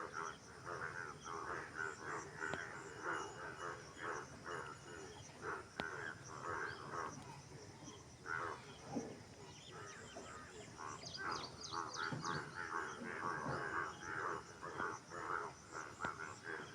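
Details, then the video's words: Frogs croaking together in a busy, continuous chorus of harsh, pulsed notes, roughly two per second, overlapping constantly, with occasional clicks and a brief cluster of faint higher chirps near the end. "Frog Sound"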